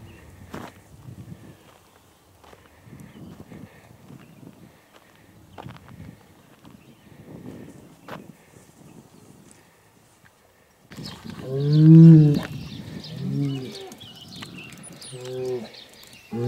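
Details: After a quiet stretch of shuffling and hoof sounds, a Hereford bull moved for fertility testing bellows loudly, a rich low moo with strong overtones, then two shorter calls, during handling of big herd sires.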